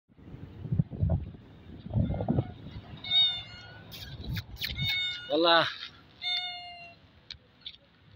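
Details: Street cats in Saudi Arabia look up at a passer-by, asking for food; a man talks at first, then several high, harmonic meows follow in quick succession, one sliding sharply downward.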